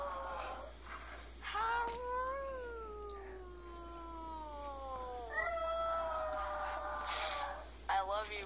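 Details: Five-year-old male Chihuahua howling indoors, his sadness blamed on a female in heat he cannot reach; drawn-out wavering wails gliding slowly downward, several in a row, a person's voice and noise in the gaps.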